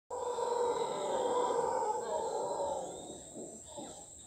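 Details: Howler monkey calling in Costa Rica on private property: a loud, sustained roaring drone that swells and slowly fades over several seconds, with a steady high insect buzz running throughout.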